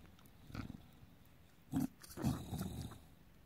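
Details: Pet bulldog indoors having its belly rubbed, making low pig-like grunts and growls: three short rough bursts, the last one drawn out, over a quiet room.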